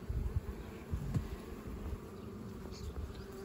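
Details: Western honey bees buzzing during a May hive inspection of a colony preparing to swarm; a low, continuous hum with brief louder swells and soft handling knocks of frames.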